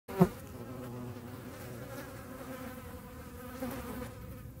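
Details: Hornet chasing flies; a steady low droning flight buzz with layered harmonic tones holds throughout, opening with a brief loud knock, with other flies buzzing nearby.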